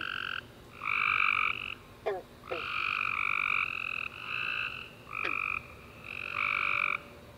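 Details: Tree frogs chorusing at night after a warm rainy summer day: bursts of bright, buzzy chirps about half a second to a second long repeat in steady overlapping bouts, with a few short downward clicks between them.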